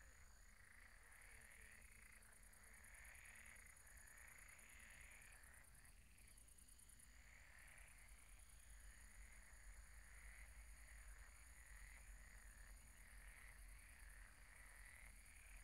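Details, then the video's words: Croaking frogs at a pond at night form a steady chorus, trills surging in loose waves roughly every couple of seconds, set against a faint high whine and low rumbling background. "Relaxing sounds of croaking frogs at the pond"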